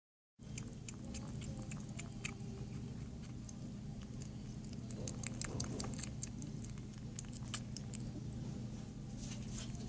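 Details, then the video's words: Female kitten up for adoption, eating indoors: rapid irregular wet clicks and smacks of chewing scattered throughout, thickening around the middle, over a steady low hum. "Adorable Kitten Making Cute Eating Noises!!"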